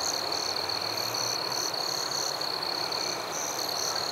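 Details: Night chorus of forest crickets, a constant shrill ringing tone joined by higher buzzy bursts that swell and break off in uneven runs, many callers layered over a faint hiss.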